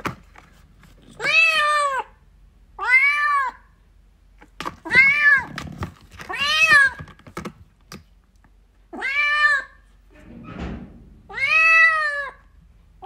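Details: Seven plaintive, evenly arched meows from a kitten seeking its mother cat, repeated roughly every one to two seconds, with light clicks and a soft breathy noise indoors.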